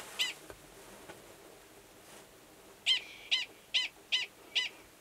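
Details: Male Gunnison's prairie dog giving a mating call, which matches its alarm call, near an estrous female's burrow in Valles Caldera National Preserve, New Mexico, in March 2017. Faint scattered sounds at first, then five crisp, high barks in quick succession.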